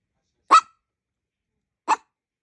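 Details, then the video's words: Chihuahua-Maltese mix dog barking to beg for something; two short sharp yaps about one and a half seconds apart, in otherwise quiet surroundings. "#ちょーだい #催促"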